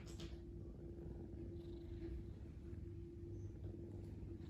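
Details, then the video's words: A sleeping domestic cat snoring: a steady, low, continuous rumble that runs through the whole stretch, with a faint steady hum and a few soft, brief higher rustles. "Sleepy Snoring Cat"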